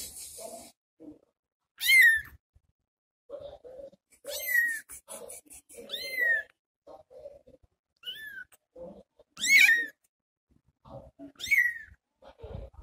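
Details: Little kitten left behind while its mother searches for food, crying in short, piercing, downward-sliding meows at uneven intervals, interspersed with softer low mews and quiet shuffling indoors.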